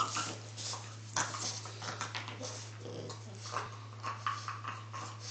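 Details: Indoor French Bulldog lying with its hind legs stuck out behind it, frog-style; soft snuffly, snorting bursts and faint whimpering noises come in irregular clusters over a steady low electrical hum.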